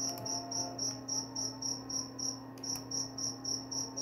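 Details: Cricket chirping, a high trilled pulse repeated about three to four times a second in a steady rhythm, with a constant low hum underneath and a couple of faint clicks.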